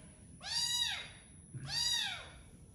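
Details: Domestic cat meowing twice, about a second apart, each meow an arched, harmonic-rich cry that rises briefly and then falls away, over quiet background hiss.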